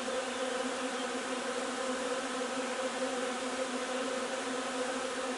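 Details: Short stretch of a honey bee colony foraging on linden nectar, 3 June: constant, humming buzz of massed bees, level and unwavering from start to finish.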